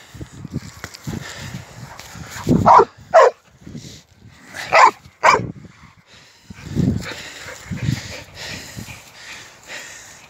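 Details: American Staffordshire Terrier playing football outdoors, giving four sharp, loud barks in two close pairs midway, with Polish speech, low thuds and footsteps around them.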